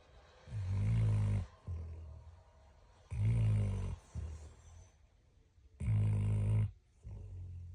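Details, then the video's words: Sleeping dog snoring steadily: three loud, rumbling, low inhaled snores each close to a second long, repeating about every two and a half seconds, with softer breathy exhales between. "#dog #snoring #sleep"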